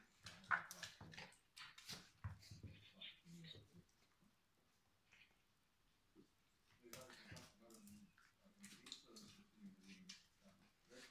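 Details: Two Miniature Schnauzers, a mother and her daughter, trade low rumbling growls and sharp whining yelps in short, uneven bursts as the mother teaches the daughter submission.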